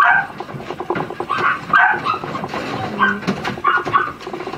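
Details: Miniature Schnauzer puppies, sisters, giving short high yips and whimpering barks in quick uneven bursts, several overlapping, with soft background rustling indoors.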